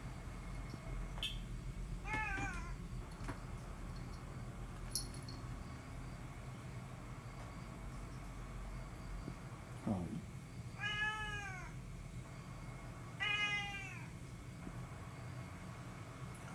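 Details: Domestic cat appealing for something, giving several separate meows with arched, harmonic-rich tones, one short and several longer drawn-out calls spaced a few seconds apart, over a steady low background hum.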